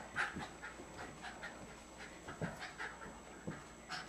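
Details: Panting of Jasper, a Jack Russell Terrier aged two, during play with Jaclyn, another Jack Russell, recorded 30 April 2009; soft, quick, airy huffs repeat several times a second, faint against a steady low background hum.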